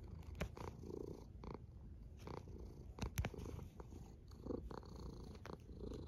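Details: Low, continuous snoring from a cat, a soft rumble that barely changes in loudness, with a few brief crisp clicks standing out now and then.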